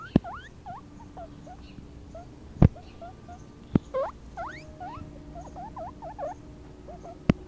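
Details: A four-week-old baby guinea pig, outdoors on a meadow for the first time, squeaks loudly and repeatedly. The high whistled squeaks sweep up or hook downward in quick runs, broken by several sharp knocks and clicks.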